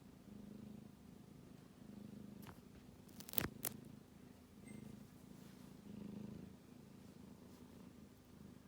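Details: Kitten asleep and snoring, a soft low buzzing rumble rising and falling in slow breath cycles, broken once midway by a sharp tap or click; otherwise quiet.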